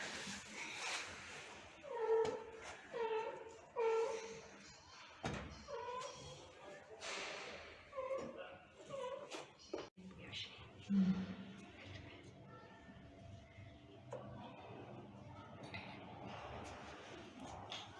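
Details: Sick mother cat reunited with her kittens after an operation, hugging them indoors; a run of short, tonal mews repeats about once a second early on, with more scattered later, over Turkish conversation and a sharp knock.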